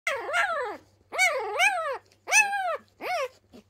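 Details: Pyrenean Mountain Dog puppies under a week old, from a litter of three born to the mother Ivy on the Ehrenberger Hof, voicing loud displeasure: four high, wavering whines, each an arched rising-then-falling cry, separated by short pauses.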